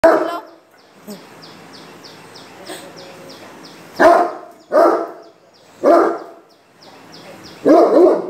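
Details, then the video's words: Great Dane turning aggressive toward a stranger, barking in loud harsh bursts, four strong barks in the second half after a quieter stretch with faint background sounds and a person speaking briefly. "Great Dane's devil mode for a stranger"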